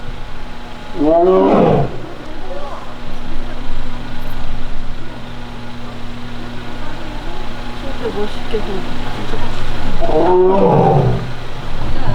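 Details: Taebeom, a young Korean tiger at Baekdudaegan National Arboretum's tiger forest, filmed on August 1, annoyed after failing to reclaim a mat: two harsh, rasping growls near the start and end, with steady background hum and faint outdoor noise between.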